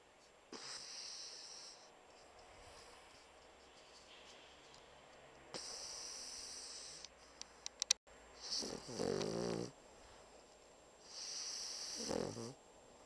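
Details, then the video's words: Sound asleep, the Pocket Bulldog Bumble snores like a large dog. Airy, hissing breaths come every few seconds, and the later ones carry a rough, buzzing, throaty rattle. "Pocket Bulldog Schnarchnase"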